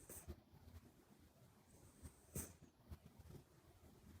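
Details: Buri the Minuet kitten asleep, nose whistling while snoring; low rumbling breaths with a single thin high whistle midway and a soft tap.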